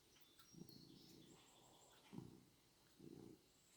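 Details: Orange tomcat hugging a dog's tail, purring softly: a low, grainy rumble in three pulses, a longer one near the start, then two short ones about a second apart, with faint high bird chirps in the background.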